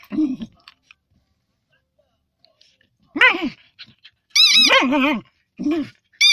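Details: Fox terrier moaning: a short low wavering groan, a pause, then a rising harmonic moan and a longer warbling, wobbling moan, ending with brief further groans in a quiet small room.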